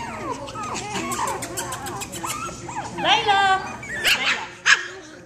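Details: A female parti-colored Pekingese puppy about 6 weeks old gives high, squeaky yips and whines while playing with other puppies, with a person talking over them.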